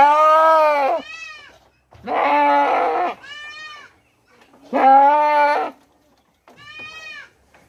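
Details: Indian goat from Mumbai calling for its kid: three loud, harsh, trembling bleats, each followed at once by a softer, thinner bleat, the pairs repeated every two to three seconds.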